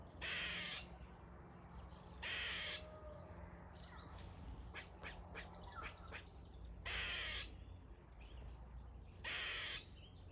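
A squirrel gives harsh, raspy calls in short bursts, spaced a couple of seconds apart.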